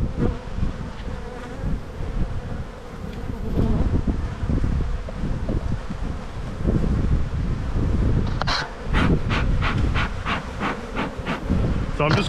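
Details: Honey bees during a spring hive inspection in the bee yard, with the colony building up and a hive full of brood: a dense, steady low droning hum with handling rustles, then a run of sharp clicking bursts near the end.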